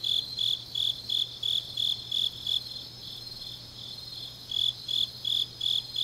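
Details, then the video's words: Grass insects on an autumn night in Changnyeong, South Gyeongsang Province, pulsing high chirps around three per second that stop for about two seconds and return, layered over a steady shrill insect hiss and low hum. "깊은밤 가을 풀벌레 소리"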